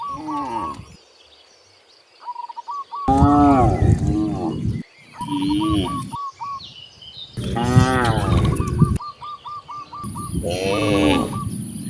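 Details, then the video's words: Free-roaming cows heading out through nature toward vast grasslands give three drawn-out, rich, lowing moos separated by brief pauses. Between the moos, a bird repeats quick hooked whistles in fast runs. "The sound of mooing cows roaming freely in nature on their way to the vast grasslands"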